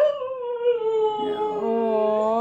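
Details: A Siberian Husky gives a long, smooth howl that slides slowly downward just after its owner has left for the office, voicing distress at his absence.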